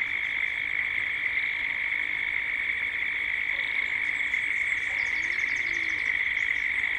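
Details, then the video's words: In Gippsland, Australia, cicadas call at dusk in a continuous high, ringing drone, while rapid high twittering notes from birds appear in the second half over the steady insect background. "Cicadas at dusk"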